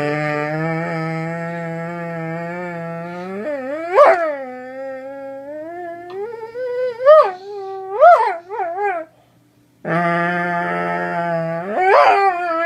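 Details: Doberman producing a long, sustained howl: a steady low tone that leaps upward, then several quick pitch swoops and wobbles, a short silence, and the howl starting again low before another sharp rise.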